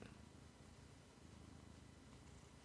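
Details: Pet male cat indoors in summer heat, purring while his owner greets him: a very faint, even low-pitched pulsing rumble under a steady broadband room hiss.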